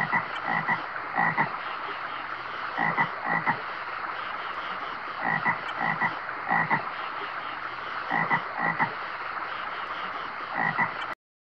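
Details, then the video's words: Frog croaks throughout, each a raspy burst of a few pulses, coming in irregular clusters roughly every one to two seconds over a steady low hiss. "Frog sounds!"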